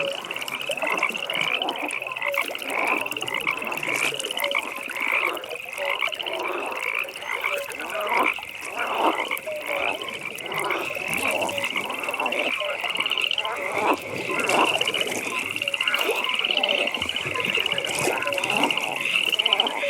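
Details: Frogs in a nighttime pond chorus keep up an unbroken high pulsing trill while lower, choppy croaks pile up and overlap throughout.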